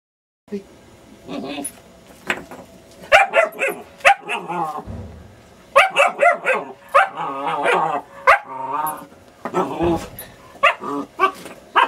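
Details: New German Shepherd puppy playfully attacking a half brick, giving a run of short, harmonic yapping barks and growly yelps in bursts across the recording, with people talking and laughing in between.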